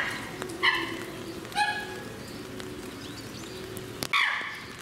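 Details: A chimpanzee (Pan troglodytes) at Higashiyama Zoo, Aichi, Japan, on 18 November 2017, gives short, strained, harmonic calls, three bursts spread over a few seconds.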